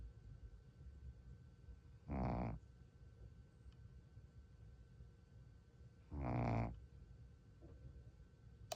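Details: A tired Shih Tzu, asleep, snores in slow, rasping breaths, one roughly every four seconds.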